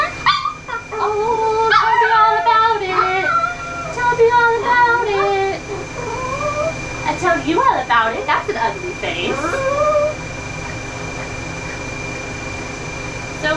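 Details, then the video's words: Ollie, a very vocal dog, during mobile pet grooming in Oklahoma, USA, giving a long run of wavering, harmonic whining howls that bend up and down over about ten seconds, with a groomer's speech nearby and a faint steady electrical tone. "Grooming a VERY VOCAL dog"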